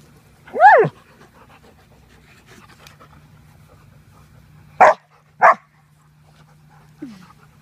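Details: Several Alaskan Malamutes play roughly, one attacking another. One gives a rising-and-falling whine, then two short gruff barks and a brief low yip.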